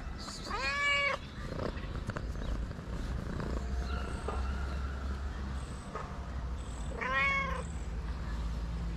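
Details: ['Tabby street cat in Morocco with two short arched meows about six seconds apart, each rising then dropping, separated by quiet stretches of low rumbling outdoor noise and faint clicks.']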